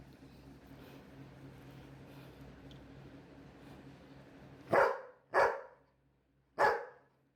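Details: Labrador Retriever barking: after several seconds of quiet low hum, three loud, sharp barks ring out, the first two close together and the third after a pause of about a second, then silence.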